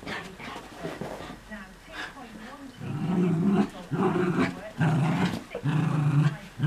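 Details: Two Miniature Schnauzers, an older dog and a new puppy brought home a week earlier, in an early morning game of chase and tug: low rumbling growls in bursts, building to loud pulses in the second half, with scuffling noises.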